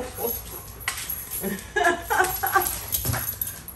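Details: Excited pet Alaskan Malamute in a kitchen while waffles are being cooked, giving a run of short, wavering whines and yodel-like calls in the middle seconds, over background music.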